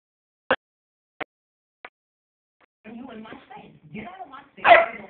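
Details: A 4-month-old German Shepherd puppy and a 4-year-old Bloodhound give short, sharp barks while play fighting, followed by a person talking.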